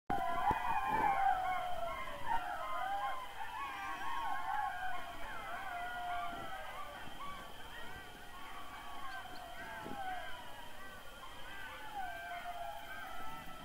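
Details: A pack of jackals in the forests of Rusca forest district, Tulcea, Dobrogea, Romania, howls together, a tangle of wavering, high wailing cries and yips.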